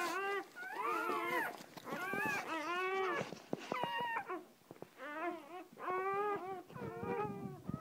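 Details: Newly born puppies with their mother dog, the first three out; thin, high whining cries in short repeated bursts with wavering, bending pitch, separated by brief pauses, indoors.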